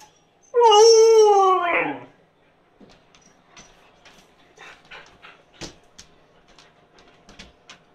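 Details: Siberian Husky named Yula begging for food that is cooling, indoors: one loud, drawn-out howl of about a second and a half, wavering then sliding down in pitch, followed by quiet clicks and small room noises.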